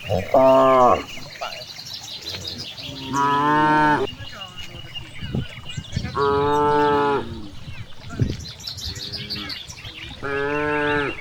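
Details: Cows grazing freely in a large green rice field give four loud harmonic moos, each about a second long, spaced roughly three seconds apart, with faint bird chirps and rustling in the background.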